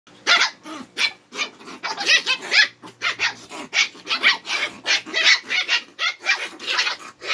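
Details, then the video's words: Twin Shih Tzu dogs challenging and needling each other, sharp high barks tumbling out in quick overlapping bursts, nearly continuous over seven seconds with only brief gaps, as both dogs answer back and forth. "Kambal na shih tzu naghahamagan at nagkakapikunan na"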